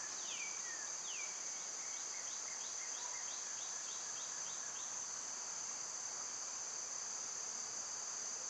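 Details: Loud summer cicada chorus holds a continuous high-pitched whine, overlaid early on by a couple of swooping bird notes and a fast run of small chips.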